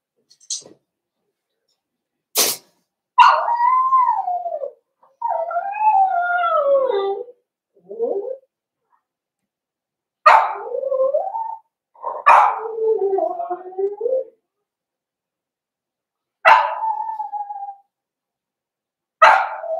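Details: Whimpering from four-week-old Cavalier King Charles Spaniel puppies in a home pen: a string of wavering, falling whines and short yelps, each starting sharply and sliding down, with brief pauses between them.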